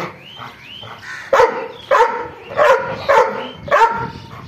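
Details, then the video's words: Faint whining opens before an angry dog barks five times, loud rough barks at even intervals of about half a second. "angry dog barking"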